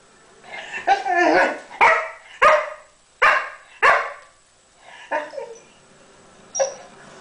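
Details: English Springer Spaniel named Pixel play-fights with Chica the cat on a couch, giving a burst of rapid, sharp barks and yips, roughly one or two a second, then spaced fainter yips trailing off, indoors.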